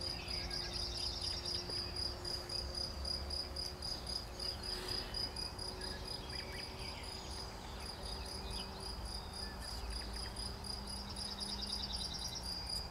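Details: Cricket on 11 June 2020 producing an unbroken high, buzzy pulsed trill, with a low hum and scattered faint tonal sounds beneath.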